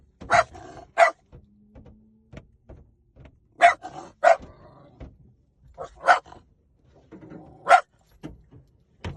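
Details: Sharp single barks from a puppy come in loose pairs with long silences between, about six yaps in all, each short and bright, with faint low shuffling in the pauses.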